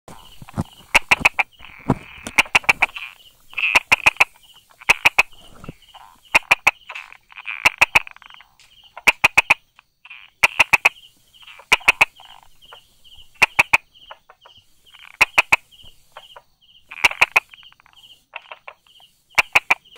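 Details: Brauer's tree frog hiding beside rock crevices and small grasses, 22 July 2016, mid-morning: sharp, dry clicking 'da-da' notes in quick bursts of two to four, repeated every second or two over a steady high pulsing trill.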